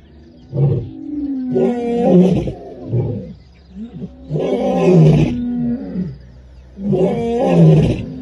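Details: A lion and a lioness roar in Africa, deep rumbling bursts that rise and fall and repeat every few seconds.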